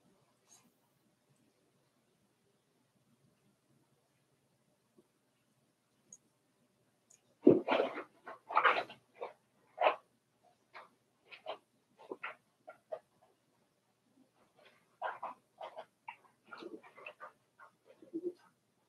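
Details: Four-week-old Cavalier King Charles Spaniel puppies in an indoor puppy pen, a litter belonging to Daisy, giving a burst of short yelps and squeaks in quick irregular succession after a quiet start, then a second cluster of brief cries.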